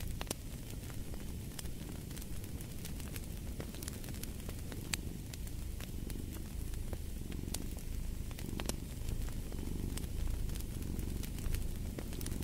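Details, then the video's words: A soft cat purr, a low murmuring rumble that strengthens toward the end, mixed with steady crackling and popping from a burning fireplace. "Fall asleep to the Purring of a Cat & Fireplace"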